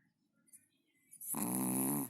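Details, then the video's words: Sleeping Chihuahua snoring indoors: after a quiet stretch with faint low breathing, one loud, rasping, harmonic-rich snore swells and holds for nearly a second before cutting off. "Чихуахуа спит и храпит"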